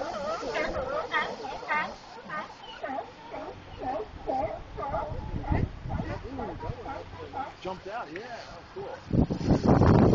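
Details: Near Monterey, California, a group of sea lions gives rapid, quavering honks and bleating barks that overlap and fade, ending in a loud burst of rushing broadband noise.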